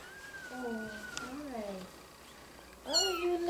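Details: Mother cat calling while retrieving her kittens indoors; drawn-out, harmonic meows with wavering, falling pitch, a short pause, then a louder rising-and-falling meow at the end, with a woman talking softly nearby.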